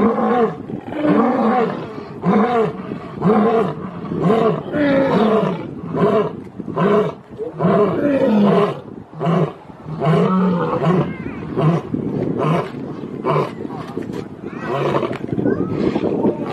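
Low, throaty roars from a lion come in a rolling series, each burst a guttural groan that rises and then falls away. The calls follow one another at a rapid, uneven pace with little else in the background.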